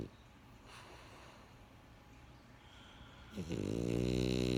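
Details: Pet French Bulldog Benjamin snoring: soft breaths give way to a rising, then sustained, throaty harmonic snore in a quiet room.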